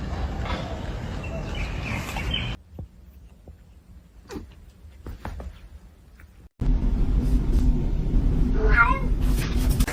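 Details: Domestic cat giving a brief, wavering meow late in the recording, rising over a loud steady background rumble; an earlier quieter stretch holds scattered clicks and soft knocks.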